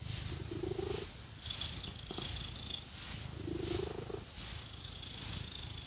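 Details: Cat purring while scratched, loud rumbling purr rising and falling with each breath, roughly every two and a half seconds, alongside hissy scratching strokes.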